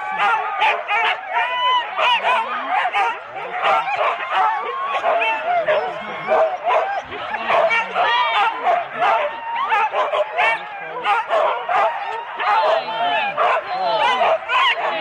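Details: Sled start of Husky teams, four dogs each, Rendlesham, January 2016, on analogue cassette tape; eager barking and shrill yelping from a crowd of dogs, with whining howl-like notes sliding up and down.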